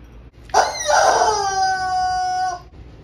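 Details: A pet cat begging for a tuna treat it gets only once in a while: one long, loud, drawn-out meow of about two seconds, rich in harmonics, starting strained and then holding a steady, slightly falling tone before cutting off. The room is quiet.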